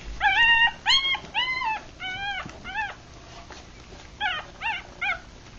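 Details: Newborn puppies, three days old, Rat Terrier crossed with Chihuahua, eyes still closed while feeding; several loud arched whines then a quiet pause before a few shorter, sharper yelps near the end.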